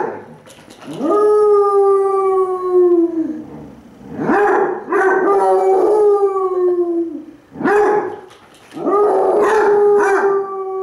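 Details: Basset Hounds Cooper and Jahko trade howls indoors, one lying on his side; sustained mournful howls of about two to three seconds each, rising at the start then holding steady, overlapping voices.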